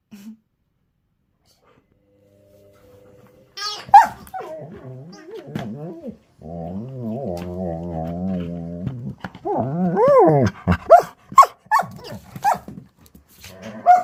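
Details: German Shepherd dog frustrated at being unable to destroy a toy during play: drawn-out wavering groaning whine, then rising yelps, grumbles and short growly barks, with a person's voice heard in places.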